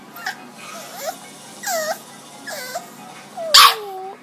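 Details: Bulldog puppy with the hiccups, overtired after a long walk and playtime and protesting against taking a nap: short, whiny, rising-falling yelps repeated about every second, then a longer falling whine after a sharp burst of noise.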